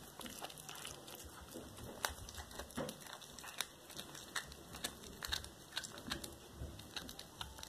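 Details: Black tabby cat named Cracker eating a small whole rat indoors, February 2022; irregular crisp crunches and tearing sounds come in bursts every half second or so, a few louder snaps standing out against a soft room hiss.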